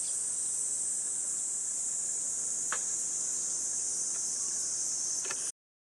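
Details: Cicadas on a hot 37°C summer morning, 23 July, along a walking path in Gifu Prefectural Centennial Park, Japan, give a steady, high, hissing drone that never pauses. A few faint clicks sound in the background.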